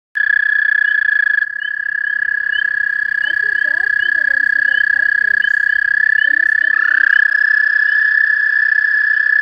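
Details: Hundreds of toads trilling at night, a dense chorus of continuous high steady trills that overlap into one unbroken ringing tone, with fainter pulsed and warbling notes underneath.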